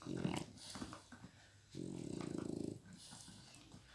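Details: Indoor toy play between Flash, a young Miniature Pinscher, and Hanna, an old Pitbull. A short rumble is followed by a sustained, rapidly pulsing growl lasting about a second, then quieter murmurs and a faint high squeak at the end.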